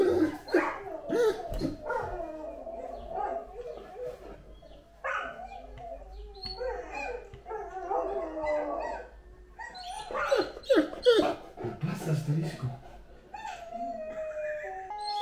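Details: Great Dane Anúbis mixes rapid, irregular barks with brief howling phrases. Rough bursts and short tonal slides tumble over each other for about fifteen seconds.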